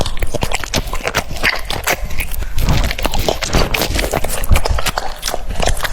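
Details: Loud close-up cucumber chewing by a French Bulldog, sharp clicking crunches repeated several times per second, like fast tapping, with wet smacks between bites.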